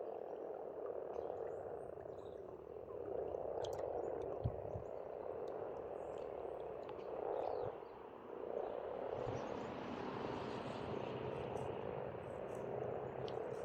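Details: Spring frogs at an Estonian pond, a thick unbroken croaking chorus that swells and dips, with a low engine-like rumble underneath and a few scattered bird chirps.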